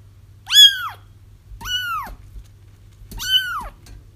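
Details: Kitten cries, played to help trap a feral mother cat whose kittens were already found: three high, arching mewing wails, each roughly half a second long and spaced about 1.3 seconds apart, over a faint low hum.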